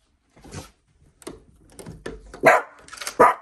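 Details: A pet dachshund reacting to a noise outside, about to go investigate; a few soft muffled woofs and scuffling building to two loud sharp barks near the end, in a small room.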